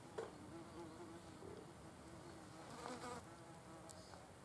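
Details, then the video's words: Wasps feeding on a carcass, giving a quiet, continuous low humming buzz with faint layered overtones and a few brief soft clicks. "wasps as health police eating cadaver"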